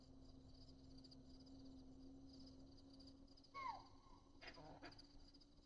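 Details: In the Masinagudi-Mudumalai forest, a deer gives a single sharp, falling alarm bark as a leopard crosses near a tree house, over a steady low hum.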